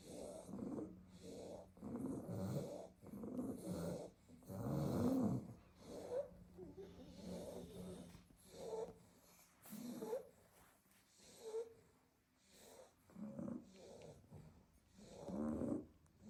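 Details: Staffy puppies piled asleep in a basket after a full day of garden play give a long run of short, snorting snores, about a dozen irregular raspy breaths, some louder and wheezier, over steady low hiss.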